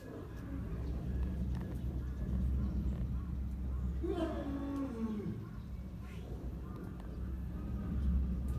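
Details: Lion at very close range giving one short, low, moaning call that slides downward about halfway through, set against a steady low rumble of background noise.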